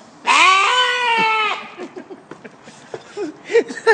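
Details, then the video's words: Goat giving a long, loud, wavering nasal bleat lasting over a second, followed by several shorter, softer bleats, while a man greets it nearby. "Funny Goat Noises"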